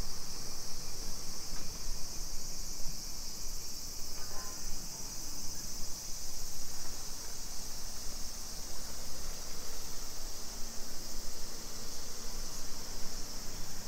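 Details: Afternoon cicada chorus in suburban Nisshin, Aichi Prefecture, Japan, 2 PM on 28 July 2021: a continuous high, sizzling drone holding level throughout, backed by low traffic rumble and occasional faint street sounds.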